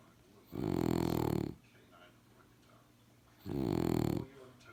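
A French Bulldog snores in two long, rasping, rumbling breaths about three seconds apart.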